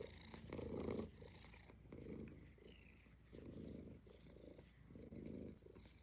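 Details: Kittens in an indoor cuddle room; a low rumbling purr rising and falling in steady breaths roughly once a second, with quiet room noise in the background.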